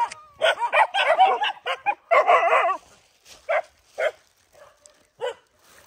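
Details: A group of dogs at a shared rice meal gives a dense flurry of overlapping barks and yelps in the first seconds, then a few spaced single barks.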